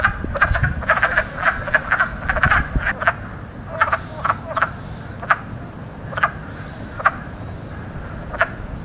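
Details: Spring wood frogs, loudest frogs of the season, croaking with inflated sacs; a busy burst of rapid clucks at first, thinning to single spaced croaks every second or so over low background rumble.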